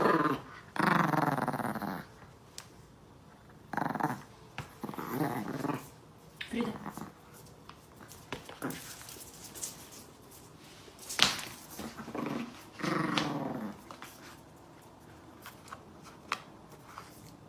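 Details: Chihuahua puppy growling in raspy, noisy bursts, loudest at the start, again around four to five seconds and near thirteen seconds, separated by softer rustles and clicks in a small room.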